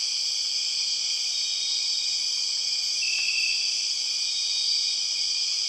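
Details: Loud, continuous buzzing of empress cicadas in Borneo rainforest, a dense high drone of layered tones without pause; a brief thin whistle rises out of it midway.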